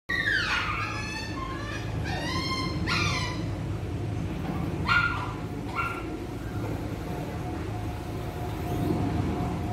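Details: Poodle in training at a dog-training school in Saigon, Vietnam: a few short, high, harmonic yelps in quick bursts near the start, then single sharp yips around the middle, over a steady low hum.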